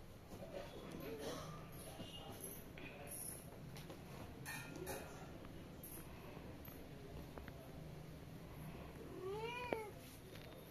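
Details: Kitten from a newly adopted pair playing at home in India: scattered rustles and taps give way near the end to a single short tonal meow that rises then falls, over steady low background hum.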